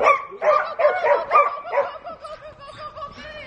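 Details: Border Collie during agility training, weaving through poles: rapid excited barks and yips, about two or three per second, with a steady whining tone underneath and some background voices.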